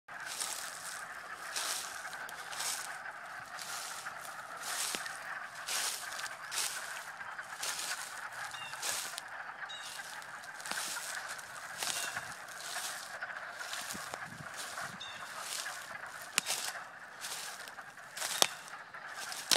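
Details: Frogs croaking and swimming on a fine March day: a dense, busy chorus of raspy, clucking croaks overlapping almost continuously, with quick repeated pulses.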